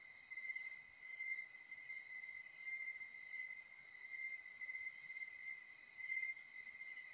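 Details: Crickets (kuliglig) trill steadily in a high, ringing chorus with faster pulsed notes layered above, in the provincial countryside around a bahay kubo hut.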